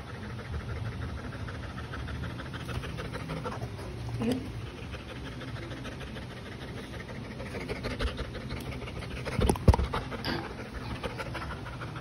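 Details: Stubborn Labrador Retriever pet breathing in quick, steady pants throughout, with faint voices in the background and a few sharp knocks near the end.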